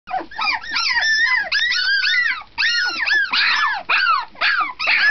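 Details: Several 17-day-old puppies calling loudly at night in a bedroom: overlapping high, squeaky whines and yelps that arch up and fall, packed closely with only brief gaps.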